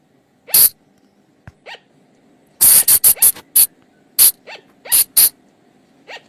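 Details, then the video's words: Calls of a flying lemur from the forest, used to draw the animals in at night: shrill, clipped squeaks, a fast cluster around three seconds, then scattered single squeaks over a faint low hum. "เสียงต่อบ่างป่า หรือพุงจง,พะจง flying lemur sound"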